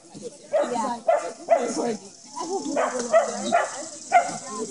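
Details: Corgis at play during a corgi meetup at Millbrook Exchange dog park in Raleigh on August 3, 2013, with about 30 corgis and friends present; short, sharp barks come in bursts roughly every half second to second, with human voices throughout.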